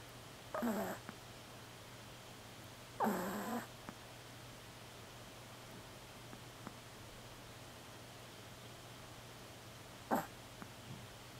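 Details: A very small black female Pomeranian snoring in her sleep: short breathy rasping bursts about every two to seven seconds, separated by quiet stretches, over a steady low hum.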